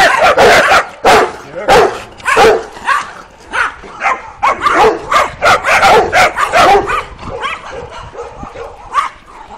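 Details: Working Kuvasz puppies aged 12 weeks out on their first street walk, 28 April 2017; rapid strings of high, yipping barks, loud at first and then fading into softer, scattered yelps.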